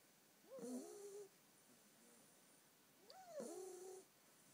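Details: Izzy, a female Staffordshire Bull Terrier pup of ten weeks, asleep. Two wheezy, whistling snores about two and a half seconds apart, each a rising then sliding nasal tone over a soft hiss of breath.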